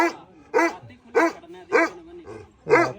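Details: A guarding pup, now grown, barks toward someone who has come outside; five strong barks and one softer one follow at a steady pace of about one every half second, with faint low growling between.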